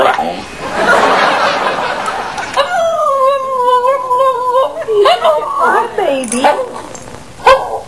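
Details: Pet dog 'talking' with its owners makes a long, steady whining howl, then wavering, yodel-like notes that bend up and down. Rustling noise and a woman's voice come before it.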